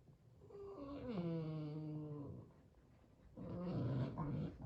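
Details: Boston Terrier named Sully during a tug game indoors, voicing displeasure: a long tonal whine sliding downward into a steady low growl for over a second, a brief pause, then a rougher, pulsing growl.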